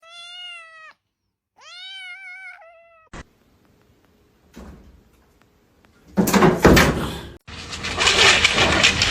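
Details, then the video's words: Domestic cat giving two clear, drawn-out meows with rich harmonics, each about a second long, followed by thumps, a short silence, then loud broadband rustling and clattering noise in the second half. "cats meowing"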